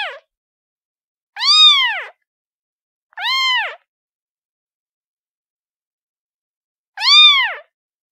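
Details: Kitten giving a series of high, arched mews, each rising then falling, about half a second long, four calls in eight seconds at uneven gaps, with clean silence between them.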